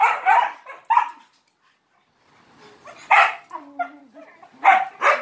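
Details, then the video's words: Dog barking for attention while playing with three Malinois: two sharp barks, a pause, then a loud bark with softer whining yelps and two more loud barks at the end. "He bark too much for attention!"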